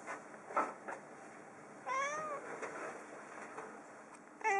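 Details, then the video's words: Indoor female cat startled by masses of autumn birds bathing and perching outside, calling from a desk rather than the window: a short meow, a longer rising-falling harmonic meow, then another beginning at the end, with low room hiss. "びっくりしてる時の猫の声 HD - Cat did meowing in wonder."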